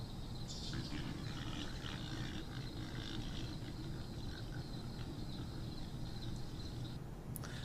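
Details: A group of adult feral pigs, out of sight and alerted at night as a coyote approaches, grunts in a low, rough, overlapping chorus.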